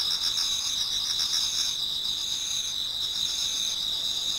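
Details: Autumn insects singing at dawn in a Japanese garden: a high, even ringing tone carries on while a pulsed trill above it fades after a second and a half, then returns near the end.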